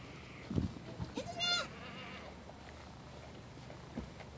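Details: Playful female baby goat romping around after launching off a tree stump. A single brief, quavering bleat sounds near the start amid soft thuds and footfalls, then only quiet outdoor background.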